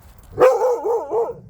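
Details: Korean Jindo dogs out on a walk; one gives a single drawn-out, wavering whine of about a second, its pitch dipping and rising several times before fading.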